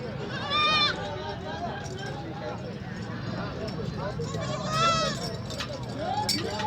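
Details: Baby goats at a market to be sold give wavering, nasal bleats over a steady murmur of people talking; some may be hungry or looking for their mothers.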